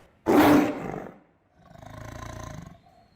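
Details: Tiger roaring, the kind of roar said to be behind most big-cat sounds in films: a sudden loud, harsh blast lasting under a second, then after a short pause a lower, throbbing, pulsed rumble of about a second.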